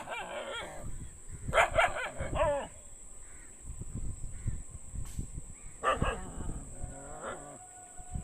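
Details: Several dogs barking outdoors; a few short harsh barks come in bursts, with quieter stretches of low rumbling background noise between them and a steady high hiss throughout.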